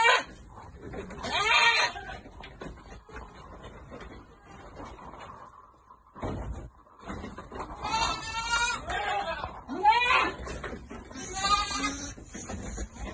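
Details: Goats bleating on a farm during vitamin dosing: a loud quavering bleat early, then a cluster of three vibrating, wavering bleats near the end, over background murmur and rustling.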